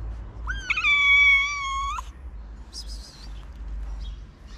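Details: Hungry homeless street cat in a town in Morocco, among strays fed every day: one long, steady, clear meow lasting about a second and a half, then a few short, higher squeaky calls, with low traffic-like rumble underneath.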